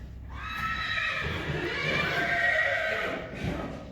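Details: Friesian horse from a herd kept in a stable and meadow, recorded April 2, 2020 while the horses meet a motorcycle: a loud, tremulous neigh of about three seconds with stacked harmonics, quavering and slowly falling, then a brief tail at the end.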